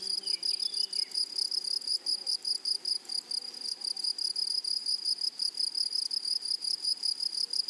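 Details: Grasshoppers calling across a flowery meadow: a bright, constant shrill tone throbbing with quick rhythmic pulses, over faint low murmurs and a few soft falling chirps at the start.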